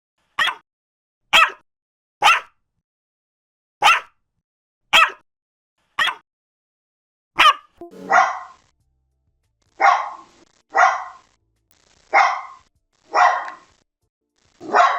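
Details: Dogs of various breeds barking in a compilation: a run of quick, sharp barks about once a second, then deeper, longer, rougher barks in the second half, each separated by clean silence.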